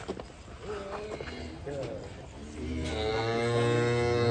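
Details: Huge, fat domestic cattle being led out of their pen in Indonesia give a long, low, steady moo with rich harmonics in the second half, after a stretch of human speech and handling noise.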